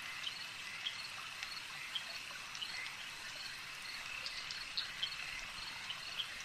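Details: Lakeside frog calls come as bright, brief ticks, one every half second or so, rising above a continuous shimmering wash of many distant callers and soft watery sound.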